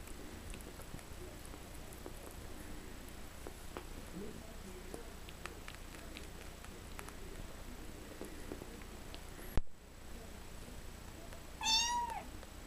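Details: Stray kitten, a six-week-old male from a backyard litter, adopted and spending the night in a bathtub, lets out a single clear meow near the end after a sharp thump, with light tapping and rustling before it.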